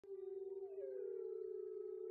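Wolves howling, a long steady low note joined by a second voice that slides down to meet it.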